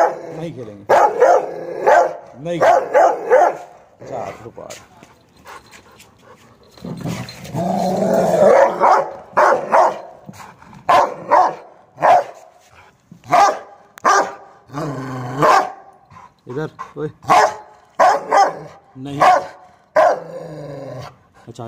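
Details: A Rottweiler that goes mad when tied up gives a run of short, deep, repeated barks, with a person talking early on.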